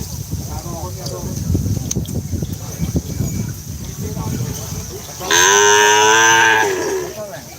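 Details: Kerapan sapi racing cattle at the Asemanis field in Pamekasan, Madura, Indonesia, during training: about five seconds of crowd noise and talk, then one strong, even, harmonic moo lasting over a second before tapering off.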